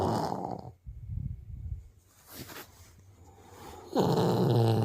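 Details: Zoo Siberian tiger cub snoring in sleep: a rough breathy rattle, a softer low fluttering inhale, then a louder, harsher drawn-out snore at the end.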